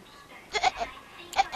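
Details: A cat that bleats like a goat instead of meowing gives two pairs of short, wavering, nasal bleat-like notes in quick succession. Quiet background.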